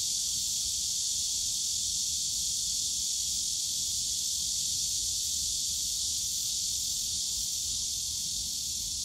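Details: A wall of cicada sound fills the bamboo grove of Yongsan Family Park in summer, an even high buzzing drone that never breaks, with muted low-frequency park background.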